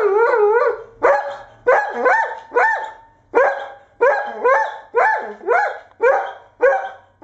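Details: Irish Setter barking repeatedly, about one bark every half second to second, each bark starting sharp and ending in a brief upward-bending whine.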